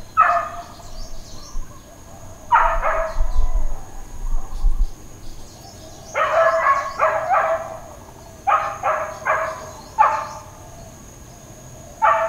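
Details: Domestic dog barking at Hawaiian Paradise Park, Hawaii, on Labor Day, September 2, 2024, part of uncontrolled intermittent barking: loud clusters of sharp barks in bursts of two to five, separated by pauses of one to two seconds, over a steady faint background hum.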